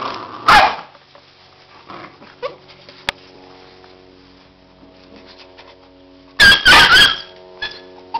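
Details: Labrador Retriever puppies: a short sharp bark near the start, then a cluster of loud, harsh yapping barks around six to seven seconds, with a faint steady tonal hum underneath and quiet knocks between.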